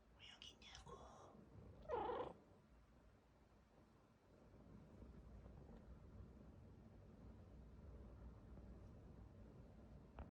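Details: A silver Bengal cat gives a short, weird-sounding meow, with soft voices before it in a quiet room.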